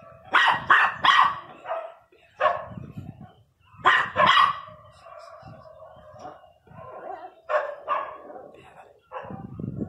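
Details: Miniature Pinscher barking fiercely in uneven bursts of two or three sharp barks, with whiny, tonal yelps between them and brief pauses; a murmur of voices lies underneath.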